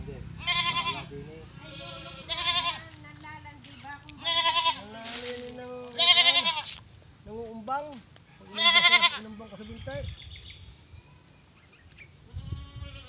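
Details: Playful pet goat giving a string of tremulous, vibrato bleats, some short and some drawn out, spaced a second or two apart, with people laughing nearby.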